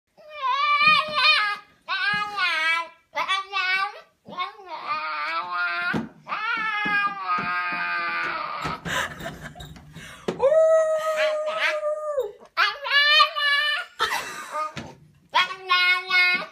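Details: A happy puppy in 2015 'talking' indoors in a small room: a run of drawn-out, yodelling whines and yowls that bend up and down in pitch, some held as long, steady notes, with short pauses between them.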